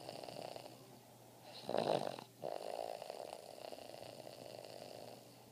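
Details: Gretzky, a Boston Terrier, snoring while asleep: a soft continuous breathy rasp with one louder snorting burst near two seconds, then steady quieter rumbling breaths.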